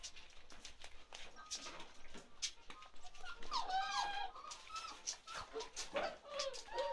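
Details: Chocolate Labrador Retriever puppies from Ruby's litter, 47 days old, squeak and whimper in short, wavering, falling cries clustered midway, over steady clicks, taps and handling noise.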